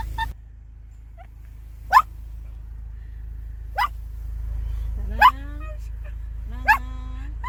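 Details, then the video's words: Sarangi, a female Maltese born August 2017 and kept as a house pet, barking: four sharp, high, clipped yaps about one and a half seconds apart, with thin whining tones in between over a steady low indoor hum. "말티즈 짖는소리"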